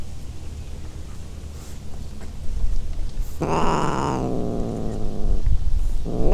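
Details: Free-roaming cat on Aishima cat island, Fukuoka Prefecture, Japan, during mating season, an adult cat in heat near a pale ginger tabby kitten; one drawn-out, harmonic yowl of nearly a second over steady low rumbling noise.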